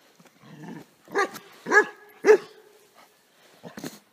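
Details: A Bernese Mountain Dog barking to defend its owners from a bear: three loud, harsh barks about half a second apart, with fainter barks before and after.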